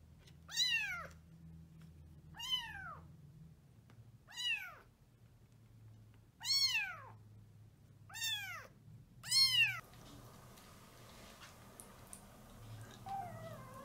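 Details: Abandoned 15-day-old calico (tortoiseshell) kitten in Tokyo, eyes not yet open, found wet and muddy on a rainy road and rescued. Six loud, high, arching meows come about every two seconds over a faint low hum, then a quieter stretch follows.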